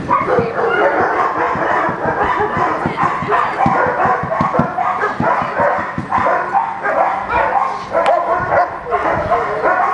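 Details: Loud, continuous barking from Echo, a young German Shepherd running a Schutzhund 1 blind routine, packed so tightly that the barks blur together, with thumping noises underneath throughout.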